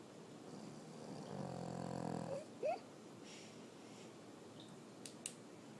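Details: French Bulldog Sophie Bleu snoring: a softer, shorter raspy inhaled snore lasting about a second, followed by a brief squeaky rising noise and a quiet room with a couple of faint clicks.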